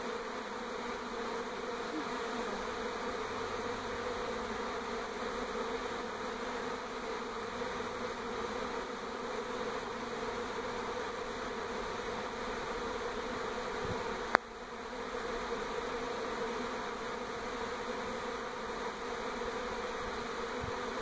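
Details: Many honey bees swarming around a NE Portland house in 2018 as the colony shifts to a new hive; continuous thick hum throughout, with one sharp knock midway.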